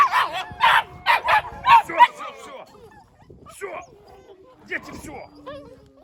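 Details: Twelve 7-week-old Belgian Malinois puppies, woken from dozing by a played recording of husky puppies whining, react with a burst of high, harmonic yelps and whines, then quieter whimpers; Belgian Malinois.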